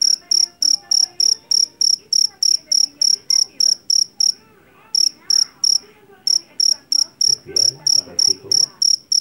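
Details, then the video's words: Field cricket known as jangkrik jeliteng, caught in a rice paddy, sings rapid shrill high chirps about three per second, pausing briefly twice midway before resuming, with faint low background sounds. "SUARA JANGKRIK PENGUSIR TIKUS SUARA ASLI"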